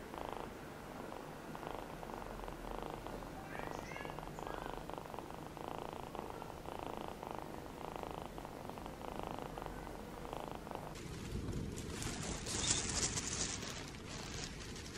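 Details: A rescued feral kitten named Namba, one-eyed, purring in a steady, rapid pulsing rumble for about eleven seconds, before a burst of louder broadband rustling and handling noise takes over.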